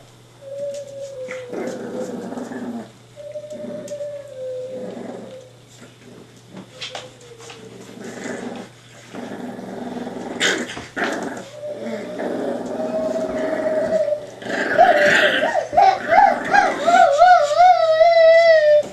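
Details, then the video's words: Staffordshire Bull Terrier puppies, five and a half weeks old, giving thin, high whines in short level tones repeated every second or two, then wavering, rising whimpers at the end, with a woman talking softly to them throughout. "Staffie pups @ 5.5 weeks."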